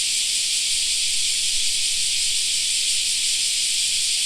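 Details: Cicadas singing in a park in summer, a dense steady high hiss-like drone with no breaks, unchanging in loudness throughout.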